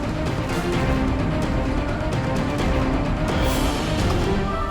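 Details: Continuous music fills the recording, heavy in low tones with a dense, sustained texture. No animal call can be picked out above it.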